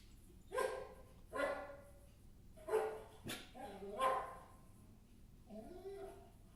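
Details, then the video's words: Maggie, a dog, barking indoors: five sharp, fairly high barks spaced roughly a second apart, the last ones dropping into a lower, drawn-out tone. "Maggie barking sounds"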